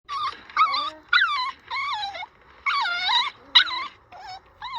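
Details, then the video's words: Dog giving drawn-out, wavering tonal whines, each about half a second long with rich harmonics, some sliding down and others bending up and down, in bursts separated by short pauses. "Звуки собаки"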